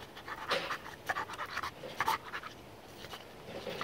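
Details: Pit bull panting in quick, breathy, noisy bursts, loudest around half a second, one second and two seconds in, then softer huffs toward the end, with a faint rustling background.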